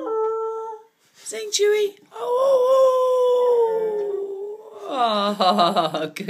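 A Siberian Husky puppy howls in long, drawn-out tones that rise and then slowly sag, with a person prompting.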